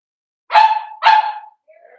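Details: Seven-week-old Cavalier King Charles Spaniel puppies from Daisy's litter in an indoor home pen: two sharp, bright yips half a second apart, followed by a softer, thin whine trailing off.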